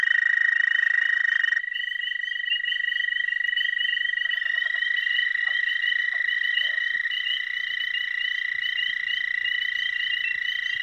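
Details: Spring chorus of male dwarf American toads (Anaxyrus americanus charlesmithi) at a small breeding pond: long steady high trills overlapping, one caller cutting off early as another takes over, faint low rustles near the end.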